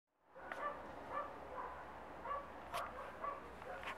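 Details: Rough Collie puppy Glamour Auksine Zvaigzde, 1.5 months old, gives short high tonal yips, about six in four seconds at irregular spacing, over a steady low background hum with a few sharp clicks.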